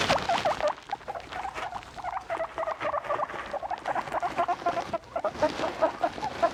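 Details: Guinea pigs kept as pets giving rapid strings of looping, U-shaped squeaky notes, bunched in quick bursts with brief pauses, over a background of soft rustling.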